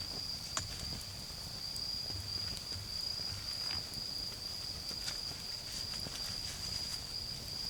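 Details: Autumn insects in a garden on an autumn night, singing beside a backyard campfire: one steady, unbroken high trill runs throughout, with sharp crackles and pops from the fire scattered across it.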